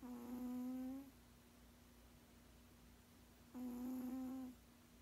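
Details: Two hum-like snores from a sleeping 16-year-old tomcat, the first starting at once and the second about three and a half seconds later, each a smooth steady tone about a second long.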